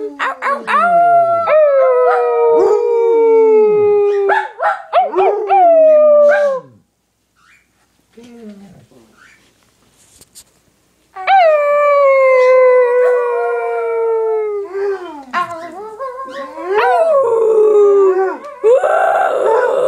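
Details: Two pet dogs, Annie, a little black Yorkie poodle, and Silly, a Basset Hound, howling together: long sliding harmonic howls falling in pitch, broken by short yips, a quiet pause midway, then another drawn-out descending howl.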